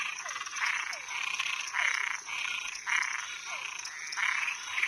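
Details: Frogs and tree frogs at night: rasping, slightly rising croaks roughly every second, alternating with quick downward-slurred chirps, over a steady shrill background hum.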